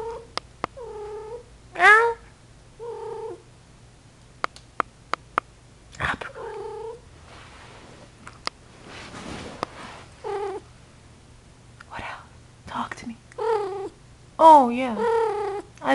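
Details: Female Persian cat in heat calling repeatedly with drawn-out, wavering yowls that rise and fall, several separate cries over the stretch with short pauses between, a few clicks, a person talking softly in between.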